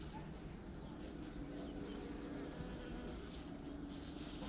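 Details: Kept bees foraging on pitaya (dragon fruit) flowers at La Saline, Réunion Island, on 6 February 2018; a soft, steady low hum of wingbeats runs throughout, with faint higher harmonics and light background hiss.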